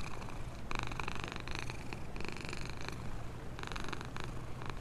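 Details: Black homeless cat living in a box near a store, happily purring as it is fed; a continuous deep rumbling purr broken by short bursts of rustling or chewing noise.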